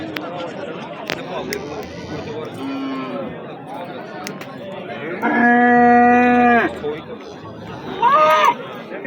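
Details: Bull at the Amudaryo livestock market, 27 April 2025, giving a loud, steady, tonal moo of about a second and a half midway, then a shorter rising moo near the end, over a background of market chatter and voices.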